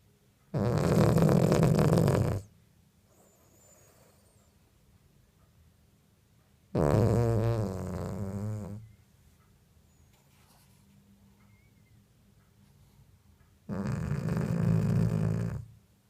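A Cavalier King Charles Spaniel snores in long, rasping breaths spaced several seconds apart.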